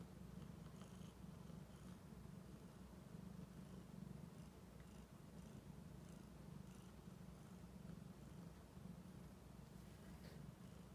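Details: American Shorthair cat, a silver tabby female about eight months old, kept indoors as a pet: steady, low rumbling purr that continues without break, soft and even in loudness, with a faint hiss of room noise.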